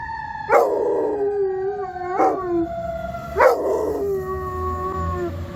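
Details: Weimaraner howling at blaring fire truck sirens on Main Street in Chagrin Falls on 4 February 2025, near an icy river; three drawn-out wavering howls, each starting with a sharp rise, over steady tonal siren wail.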